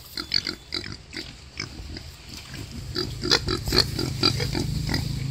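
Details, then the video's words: Wild boar giving birth to five piglets: quick short grunts and sharp squeaks, roughly two each second, uneven in rhythm and growing louder toward the end, over a steady low hum. "Wild Boar || Heo rừng sinh con"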